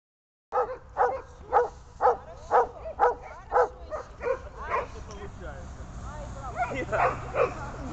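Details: Dobermann during bark training: a run of loud, evenly spaced barks about twice per second, each a short harmonic burst, then softer, more irregular barks near the end over low background hum.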